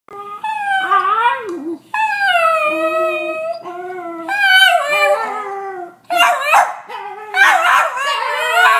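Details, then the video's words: Two pet dogs, a Cairn Terrier and a Jack Russell Terrier, howling in greeting as their owner comes home; long wavering tonal howls with rich harmonics, rising and falling, broken into several drawn-out phrases with short yips near the end. "Cairn Howl & Jack Russell Howl"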